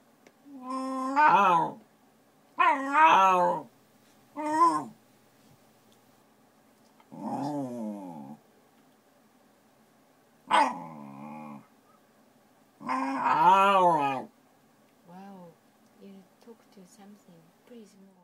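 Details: Pet Shiba Inu indoors, freaking out at a Shiba-shaped notepad: six wavering, harmonic whine-like bursts about a second long each, some rising and falling in pitch, then a few soft low sounds near the end.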